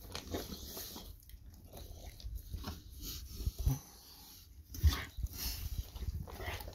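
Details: Golden Retriever wolfing down its ordinary breakfast indoors, a fast eater: irregular bursts of crunching and chewing, deep thuddy bites with a few louder knocks, roughly once a second, in a small quiet room.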